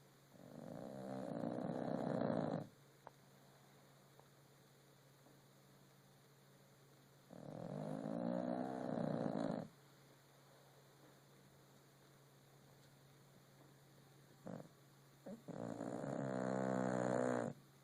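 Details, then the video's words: A sleeping rescue French Bulldog snores in long, rough, rattling breaths spaced several seconds apart. "French bulldog snore"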